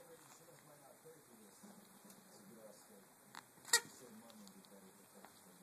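A Ragdoll cat gives a single sharp, hissing sneeze after a faint first puff, in a quiet room.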